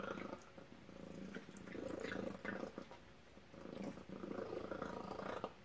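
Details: Supper for Tacy the cat, chicken and duck on the menu: a throaty rhythmic purr comes in two long swells, with light dripping and clicking noises around it.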